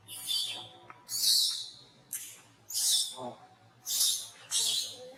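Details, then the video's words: Monkey at Angkor Wat Park crying while being disciplined by another monkey: loud, shrill, high-pitched screams in six bursts roughly once a second, each sliding slightly downward, separated by short quieter gaps. "Sound Cry From Brady Under Monkey Rose Discipline"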